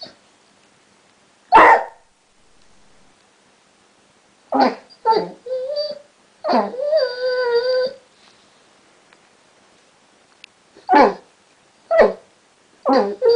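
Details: Chester, a pet basset hound that has recently learnt to 'talk', vocalizes indoors: bursts of grumbling yips and a sustained, wavering howl-like whine near eight seconds, separated by brief silences.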